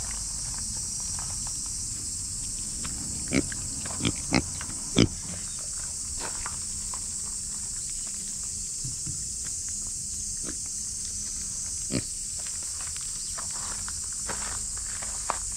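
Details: Cicadas drone in a loud, steady, high-pitched buzz, with occasional snorts and clicks nearby from a female micro pig.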